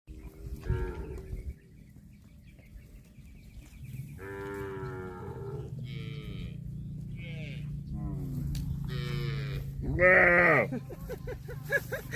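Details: Cattle calling in a compilation; several drawn-out harmonic moos of shifting pitch, some bending up then down, scattered across the stretch over a constant low hum, with the loudest call near the end.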